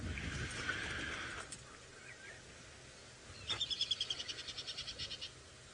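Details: Tree squirrel in Sabi Sand, Kruger Park, South Africa, on an April afternoon safari drive gives a mild alarm call, about fifteen sharp high clicks in under two seconds that fade, after earlier seed-eater chirps and hiss.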